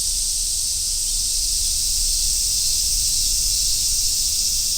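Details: Summer forest road soundscape with many cicadas, such as large brown and Minmin cicadas, merging into one constant high-pitched buzzing wash that never lets up; a soft low background murmur lies underneath.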